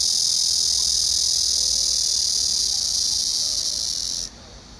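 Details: Black cicada song on 31 August 2024: an intense, sizzling buzz that carries steadily for about four seconds, then cuts off abruptly, leaving quieter background noise.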